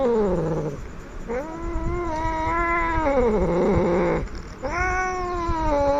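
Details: Aggressive cat yowling in a threatening way: a series of loud, tonal wails that rise, hold and slowly droop. Brief pauses separate them, and the tone turns gravelly near the end of the longest cry.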